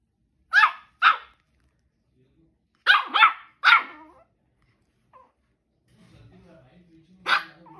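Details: Zoey, a Shih Tzu puppy two months old, barking for the first time with shrill, short yaps in bursts of two and three. Long quiet gaps come between them, and faint low rustling sounds near the end.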